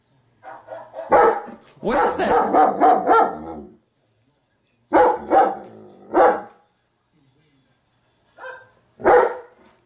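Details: Female German Shepherd barking at her own image on a screen, filmed with several cameras including a dog cam; loud harsh barks in bursts, a longer run near the start, then single barks spaced seconds apart with silence between.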